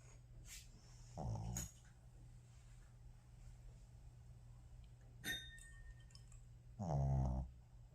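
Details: Shih Tzu sleeping indoors after playing hard, giving two low, rough, rasping snores about five and a half seconds apart, with quiet room hum between them.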